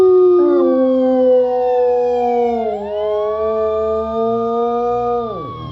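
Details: Cisco the Rottweiler howls along with a loud siren sound effect after a little prompting. A sustained, wavering howl sits under the steady siren tones, which slide down, rise again and cut off near the end.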